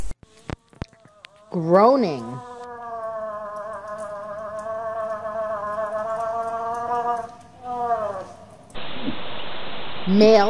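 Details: Moose giving a long, nasal, wavering moan that holds steady for about six seconds, starts with a brief rising and falling swoop and ends in a short wobble, followed by a burst of hiss and clicks.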